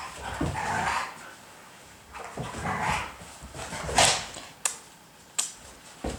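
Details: Siberian Husky 雷凪, startled by its own sneezing, runny and stuffy nose, giving a run of short snorting, sneeze-like bursts, then a few sharp clicking snaps toward the end.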